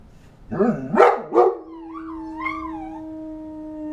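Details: A dog gives a few gruff barks, then slides into a steady, slightly wavering howl held to the end.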